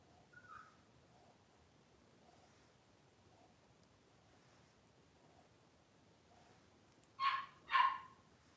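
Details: Blenheim Cavalier King Charles Spaniel puppies, three weeks old, from a litter of five, wrestling and playing indoors in a puppy pen. A brief faint whine comes early, then quiet, then two loud sharp yips in quick succession near the end.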